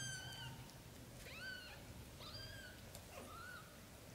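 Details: British shorthair kittens growing up over their first 30 days, calling with several high, harmonic-rich meows that arch and fall, one rising squeak near the end, over faint low room hum.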